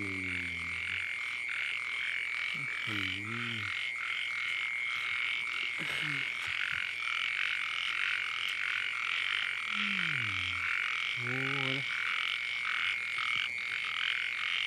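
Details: Small frogs calling at night in the rain during a flood: a dense, rapidly pulsed croaking chorus in rhythmic bursts over a steady high whine, with low human voices rising and falling at intervals.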